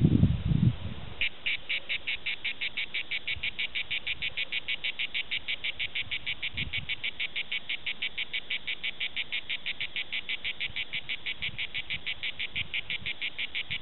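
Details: Cicada orni singing at Prades: after a brief low thump at the start, a long train of rapid, evenly spaced dry clicking pulses, roughly three per second, continues steadily to the end.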